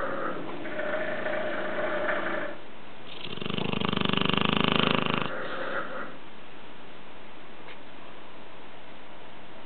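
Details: Sleeping Dogue de Bordeaux mother and pup: softer wheezy breaths, then a loud rattling snore that builds and pulses for about two seconds before easing back into quiet, raspy breathing.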